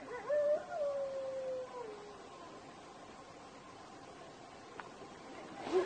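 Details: A desert wolf gives a single drawn-out howl that slides gently downward, then falls quiet.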